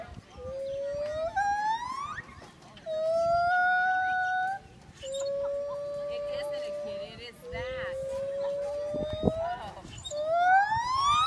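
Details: Gibbon song made of long, drawn-out hooting notes: several sustained tones lasting about two seconds each, the first and last climbing steadily upward in a smooth glide, others held almost level.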